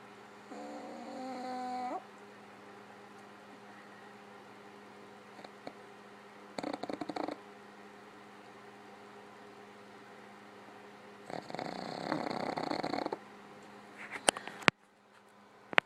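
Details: Sleeping pug, Gypsy, worn out after a family visit while another pug, Otto, lifts his head. Separate snoring bursts come at intervals: a whistled, rising nasal wheeze, then raspy rattling breaths, with a quiet background hum between them.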